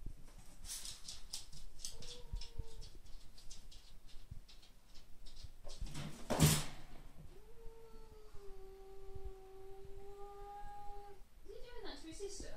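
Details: Two Bengal cats yowl in a play fight over the top of a scratching post, with long, steady, moaning tones drawn out over several seconds; fierce-looking but friendly.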